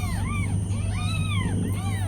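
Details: Newborn kittens lying with their mother cat mew in thin, high voices. Three or four drawn-out arching cries follow closely. A steady low drone and a high tone sit underneath.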